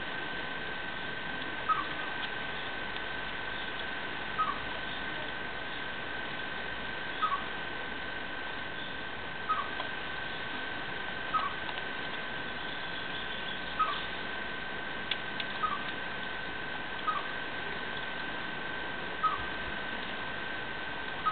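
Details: A male chipmunk living under a window gives a mating song of short, sharp chirps every two to three seconds to call a female, unlike its usual whistles, over an old refrigerator's rattling hum.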